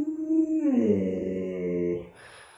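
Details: Pet Alaskan Malamute at home giving a short vocal howl: a steady tone that slides downward and then holds lower before stopping, while family members chat and talk about a baby nearby.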